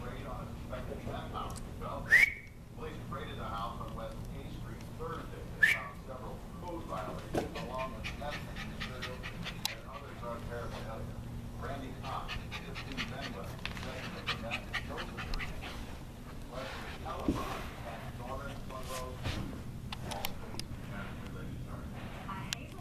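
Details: Norwich Terrier puppy named Drew Parker at play, giving brief high whimpering whines and occasional sharp squeaks scattered through the recording, with a television newscast talking steadily in the background of an indoor room.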